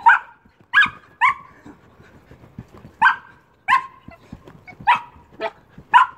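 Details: Amy, an Old English Sheepdog, barks repeatedly while jumping: eight loud, clear barks, some in quick pairs, with soft thumps and rustling between them.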